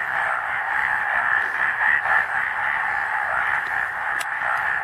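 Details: A dense chorus of male frogs in Amchang Wildlife Sanctuary, Assam, India, calls during the breeding season to attract females, their croaks blending into a continuous, deafening, mid-pitched throbbing roar with individual pulses lost.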